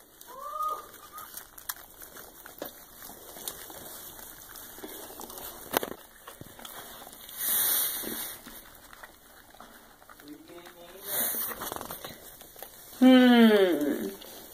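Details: Litter of Soft Coated Wheaten Terrier × Shiba Inu puppies during their birth: scattered faint squeaks, a few brief whimpers, then a loud, rising, harmonic-rich wail near the end; background rustling and a person's voice.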